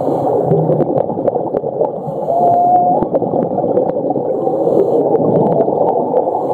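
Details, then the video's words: Whale at Ningaloo Reef, Western Australia, a World Heritage reef on a winter migratory route: a short, clear, level tonal call about a second long rises slightly at its end, set in dense crackling underwater noise with scattered sharp clicks. "Sound of Whales"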